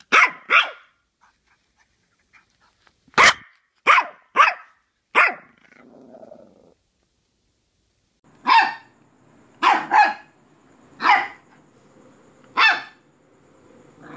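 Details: Puppies giving short, high yaps, some in quick doubles and triples, separated by silent gaps, with a soft low grumble between bursts.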